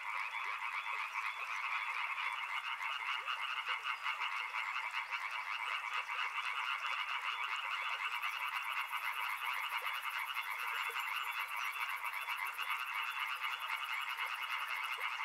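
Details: Dense chorus of many frogs by a river, steady overlapping croaking trills forming a continuous wall of sound; from about eight seconds a rapid, high, pulsing buzz joins above the chorus.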